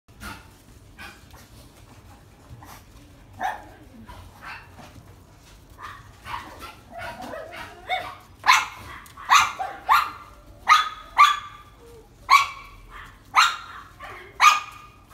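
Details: Male mixed-breed puppy with a sable coat, born 14 May 2017, at a pet shop; scattered soft yips build into loud, sharp barks repeated roughly every second toward the end, over a low steady hum.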